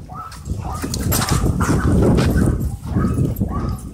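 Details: Several dogs tussle at a dog park, their play producing a continuous deep rumbling growl that swells and fades, with scrabbling and panting throughout.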